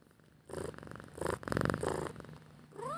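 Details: Cat asking to be fed purrs in throbbing pulsed bursts with a low buzzing texture, ending on the start of a short rising meow.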